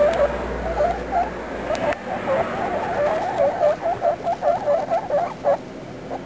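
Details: Guinea pig babies talking in a run of quick, squeaky chirps and wavering twitters that pulse rapidly for about five seconds, then stop, with a faint low rumble early on.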